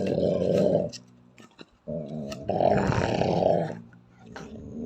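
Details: Angry female Belgian Malinois, unprovoked, acting aggressive: deep rumbling growls in two long bursts, about a second and a half each, separated by a short quieter pause with faint clicks, ending in a softer rising growl.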